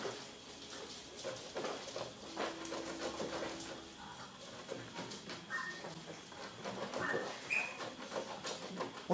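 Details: Seven-week-old poodle puppies from Rainy's litter romp and play indoors, giving scattered thin squeaks and high whimpers, some drawn out, others short and rising, over soft household clatter and faint background noise.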